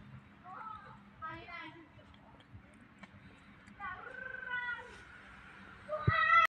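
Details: Orange cat meowing indoors: a few short, bright meows with wavering harmonics, then a longer drawn-out meow that bends up and falls, and a final sharp, louder meow at the end, over quiet room background.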